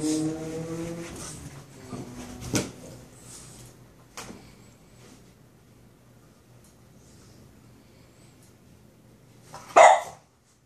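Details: A Boston Terrier barks at his brother, another dog, giving a tonal, whining bark, then a few sharp barks spaced by long quiet gaps.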